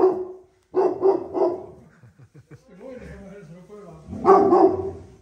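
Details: Great Pyrenees dogs in a backyard in Japan barking, possibly at a wild animal nearby: three deep harmonic barks in quick succession, a pause with a woman talking, then another loud burst of barks.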